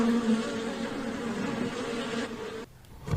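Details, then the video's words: Bee buzzing: a steady, noisy droning hum lasting over two seconds, then cutting out into near quiet before a brief burst of noise at the end. "know the names and sounds of animals | cat,dog,bee"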